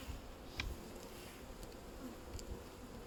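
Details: Western honey bees in a busy hive during a beehive inspection on 31 May 2025, with queen cells and a marked queen: a low, steady hum of many bees buzzing together, with a few faint clicks over the drone.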